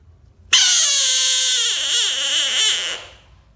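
An American bullfrog lets out a loud, harsh, sustained scream that wavers slightly before cutting off.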